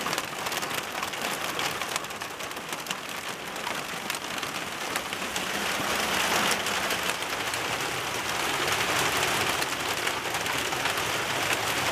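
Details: Steady heavy rain hisses and patters on a surface throughout, with no animal sounds.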